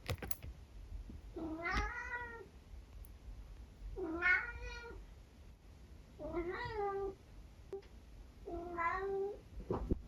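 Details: A pet tabby cat meowing indoors at breakfast time, trying out a selection of noises: four drawn-out, wavering meows spaced about two to three seconds apart, each slightly bending in pitch, with quiet room background.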